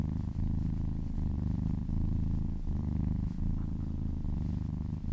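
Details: A kitten purring contentedly during a massage, a continuous low rumble with slight pulsing and two short breaks where the breath turns over.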